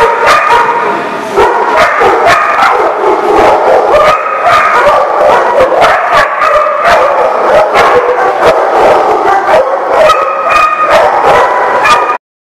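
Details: A large group of dogs at a kennel or boarding lot in June 2018, barking and yipping all at once in a constant loud chorus of short sharp barks that cuts off abruptly at the end.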